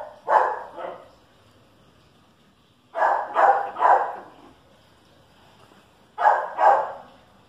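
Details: Chihuahua versus dachshund: barking in short bursts, first a pair, then three quick barks after a pause, then another pair, with quiet gaps between.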